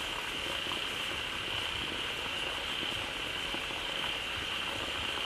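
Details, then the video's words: Pond full of frogs gathered after water starts pouring in from a waterfall, calling loudly; an even wall of overlapping calls holds a bright steady tone, laced with crackling pops and a hissing, boiling-like texture. "เสียงฝูงกบร้องดีใจได้น้ำ Relaxing Sounds of Frogs"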